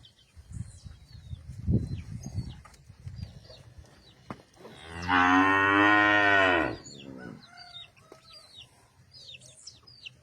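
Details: Cattle on a ranch: one loud, long moo with rich stacked harmonics lasting about two seconds, framed by softer low rumbling and scattered chirping birds.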